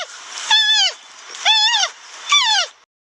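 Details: Giant panda bleating, a sound said to resemble a sheep's call and used for communication and expressing emotions: three arched, harmonic, nasal calls rising then falling, spaced about a second apart, with little background.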